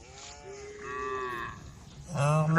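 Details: A cow from a herd at a forest edge gives a short, steady low moo followed by the start of a louder harmonic call, over a low rumbling background.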